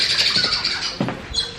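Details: A squirrel at Hampi, India, calling for a long time without stopping, gives high, sharp chirps in a rapid, steady run that keeps going without pause.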